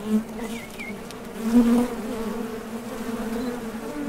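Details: Honey bees buzzing at the mouth of a top bar hive while foragers depart and return from collecting nectar; a dense low drone with one loud close fly-by near the start and a faint bird chirp.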